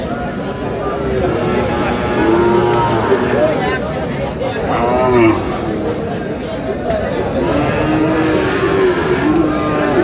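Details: Sahiwal cattle at a busy market on 9 June, where a farmer from Comilla buys bull calves: several drawn-out low moos, some rising then sagging, sound over steady crowd chatter and men's voices.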